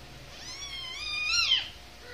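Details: Kitten 49 days old, one of three indoor kittens still nursing from their mother while eating dry food, gives a single clear high meow lasting over a second, rising then falling in pitch with bright overtones, in a quiet room.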